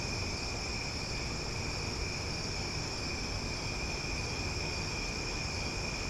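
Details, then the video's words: Loud nighttime chorus of cicadas in Omaha, heard as a continuous ringing buzz of stacked high tones that never pauses, with a dull low-frequency hum beneath. "Cicada Sounds for Sleep"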